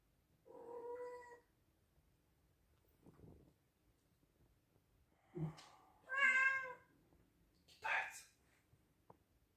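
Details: Indoor pet cat, a male Scottish Straight, meowing loudly: a short harmonic meow, then a faint rustle, a thud, a strong drawn-out meow and a brief higher rasping cry, with quiet room noise between.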